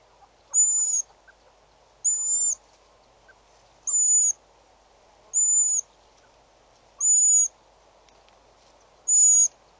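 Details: Wild slender mongoose at Djuma waterhole, South Africa, 6 July 2013, giving a series of six short, high, pure whistles, evenly repeated about every one and a half to two seconds, with a faint continuous background hum.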